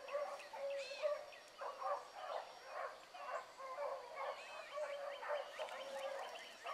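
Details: Hound pups from Blackcreek running a morning chase. Continuous overlapping bays and bawls from several dogs roll on without pause, heard from some distance in open country.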